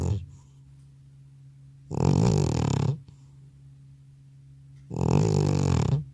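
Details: Old cat sound asleep indoors after a trip to the vet, captured without an external microphone: two loud, low, throaty snores, each about a second long, separated by a quiet gap of roughly three seconds with a faint steady hum.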